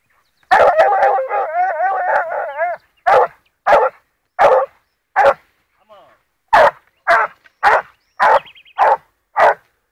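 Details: A 14-month-old blue griffon bitch trailing wild boar: a long, quavering howl-like bay opens, then loud punchy barks follow roughly every half second to second, steady and insistent, outdoors.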